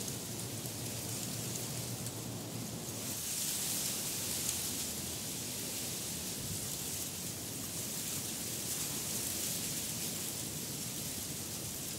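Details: Steady broadband wind or rain-like hiss fills the recording, with no animal voices standing out. A brief low hum appears early on, but nothing resembling a call or whinny is heard.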